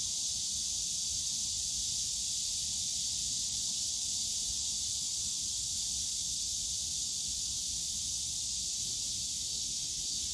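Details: On a summer day at Yongsan Family Park, cicadas fill the bamboo forest with a constant high, sizzling buzz that never breaks, while faint low park noise murmurs in the background.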